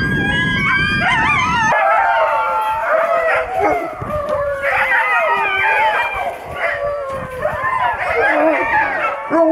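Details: Older Alaskan Malamutes on a skiing outing in snow, howling loudly in wavering, rising and falling yodel-like phrases that overlap, as if more than one dog is calling, with a brief rumble of noise at the start.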